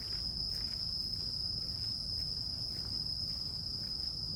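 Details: Grass insects singing, a continuous shrill high note sustained without pause from start to finish, with a faint higher overtone line and soft low background hum.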